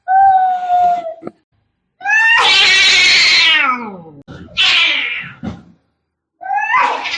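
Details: Angry cats fighting: a long steady wail opens, then a loud harsh screech with a falling tail, followed by a shorter strained yowl and a rising cry at the end, with silent gaps between.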